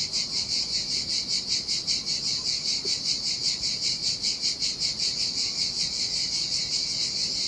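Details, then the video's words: Sardinian cicadas calling in the heat by a lonely sandy beach, their shrill rasping drone throbbing in an even rhythm of roughly two and a half pulses each second throughout. "Ocean Waves & Cicada Sounds - The Most Relaxing Waves Ever - Cicadas by the Sea"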